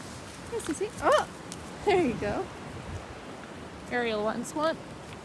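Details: Pack of dogs out for play time on a very windy day, giving a series of high, wavering whines and yelps that rise and fall, in short bursts separated by brief pauses, with faint rustling in the background.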